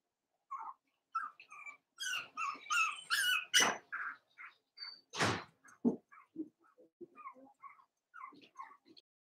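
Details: Cavalier King Charles Spaniel puppies, Daisy's 4-week-old litter in their pen, give a busy stream of high squeaky whimpers and short yips, some overlapping, with a few sharp knocks and clicks among them.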